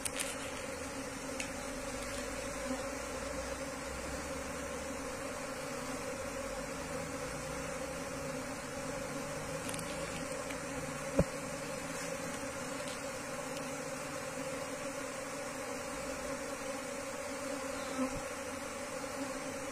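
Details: Asian honey bee colony taken from the wild and moved into a hive box, its buzz a constant low drone with a deep rumble, interrupted by occasional clicks and one sharp knock midway.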